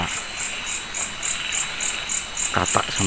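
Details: Grasshopper chorus at night beside a quiet forest hut, with frogs also said to be calling: a dense high trilling pulse repeating steadily, then a man's voice speaking briefly at the end.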